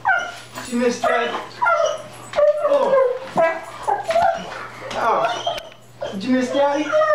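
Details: Dog reunited with its owner after six months, crying: short, tremulous whimpers and yelping whines in quick succession, overlapped by a man speaking softly to the animal indoors.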